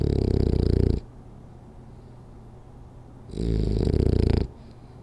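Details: A French Bulldog asleep during a power nap, snoring hard: a deep, rattling snore about a second long, then a quiet pause of over two seconds before the next rasping breath.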